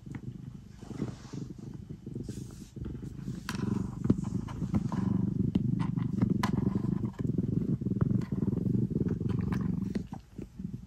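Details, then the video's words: Domestic cat kneading and purring before bedtime: a steady, low rumbling purr throughout, overlaid with frequent sharp clicks and scratchy ticks from kneading. "Cat kneading and purring before bedtime"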